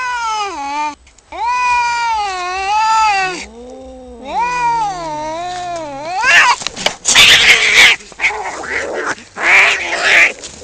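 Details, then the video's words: Two tomcats fighting over territory just outside a home: sustained wavering yowls from two voices, one low and one higher, for six seconds, then erupting into harsh screams, hisses and scuffling noise in bursts. "Two cats fighting and making wierd noises"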